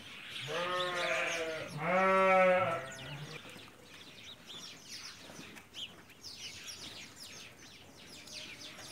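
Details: Hungarian Merino sheep, an imported breed kept in Central Anatolia, Turkey, each over 80 kg; two loud harmonic bleats, the second higher and longer, followed by steady chirping of small birds in the background.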